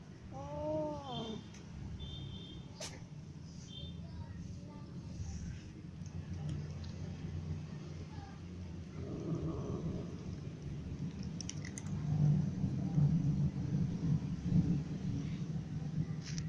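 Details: Ginger cat clawed by a new white cat while eating, so it eats lying down; one short arching meow near the start, then a steady low hum and rumbling through the rest, with faint clicks and shuffling.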